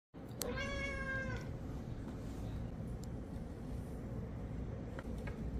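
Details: Domestic cat giving a single clear meow of about one second, a level, richly harmonic tone that ends abruptly, followed by quiet room hum and a few faint clicks.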